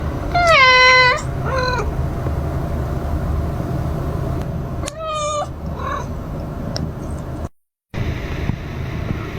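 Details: Calico cat staying beside a mother cat as she gives birth; three loud, drawn-out meows with rich harmonics in the first six seconds, then a steady low hum and a brief dropout.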